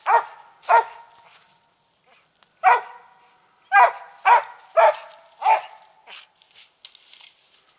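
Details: Max Pine Knot, a Treeing Mountain View Cur of about three, barks while treeing squirrels on a South Carolina hunt: seven sharp, loud barks at irregular intervals, roughly two per second in bursts, with faint rustling after.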